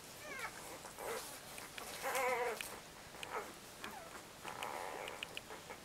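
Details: Sleeping Labrador Retriever puppies, four to five days old, give thin wavering squeals and whines, the loudest a quavering cry near the two-second mark, with scattered shorter squeaks and rustling around it.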